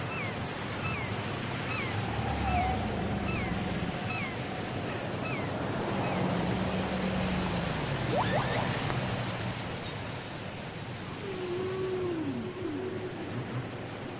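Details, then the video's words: Whale singing, taken from a cassette: a quick series of short rising chirps repeated several times a second, with long low moans and later drooping mid-pitched calls, all against a steady wash of sea-like noise. "Les chants secrets des baleines"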